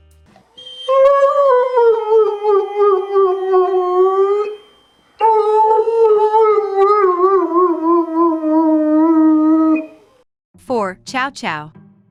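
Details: An Irish Wolfhound, a breed that rarely barks, 'sings' in long, wavering, slowly falling howls much like a wolf's.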